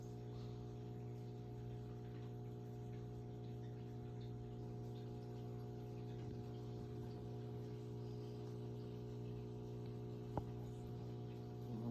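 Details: A steady electrical hum with layered tones fills a small indoor room, broken by one sharp click near the end.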